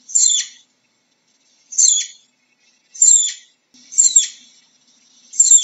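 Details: Flying squirrel giving five shrill, high-pitched chirping calls, each about half a second long with a downward sweep, repeated roughly every 1.3 seconds over a quiet background.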